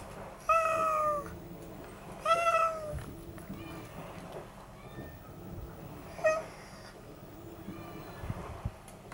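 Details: Very friendly unneutered red tabby tomcat, heard during a trapping for neutering. He gives two clear, drawn-out meows about two seconds apart, each falling in pitch, then a brief faint third meow later, over low background rumble.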